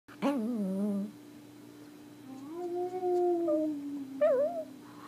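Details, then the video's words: Pomeranian in India singing, giving short wavering tonal howls at low pitch, a brief bent note, then a longer gently rising and falling hum-like tone and a final rising yelp, with a steady electrical hum underneath. "Singing Pomeranian"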